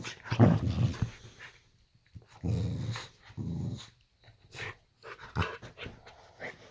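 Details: Female Boxer dog indoors in a bedroom at bedtime, in a playful mood: low, rumbling growl bursts about a second long, three in all, separated by short pauses.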